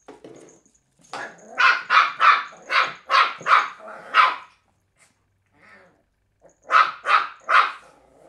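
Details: Willow, a three-month-old Cairn Terrier puppy, barks while playing with an empty bottle indoors: a run of six sharp, high yapping barks about a third of a second apart, a pause, then three more quick barks.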